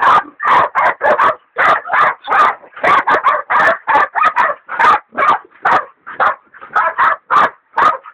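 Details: Baying at a big sow hog by two hog dogs, including a leopard dog still in training: loud, dense bursts of ragged barking, roughly two per second, often doubled, with brief pauses between volleys.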